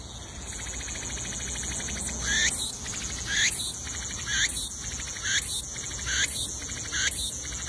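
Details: Cicadas sing in the wild from trees in loud, buzzy bursts that repeat about once a second over a steady high hum.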